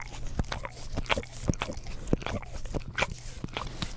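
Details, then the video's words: Pet English Cream Golden Retriever working its tongue over an Orapup tongue cleaner brush, close to a Blue Yeti stereo microphone. Rapid moist clicks and slurping smacks arrive in uneven bursts several times a second, indoors with no other sounds. "ASMR Dog Licks Orapup Tongue Cleaner Brush - 1 Hour - English Cream Golden Retriever"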